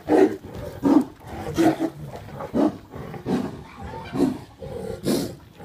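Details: Tiliger fighting a Bengal tiger at GW Exotic Wildlife Park in Oklahoma: harsh, snarling roars and growls burst out roughly every second, rough and throaty, with scuffling noise between them.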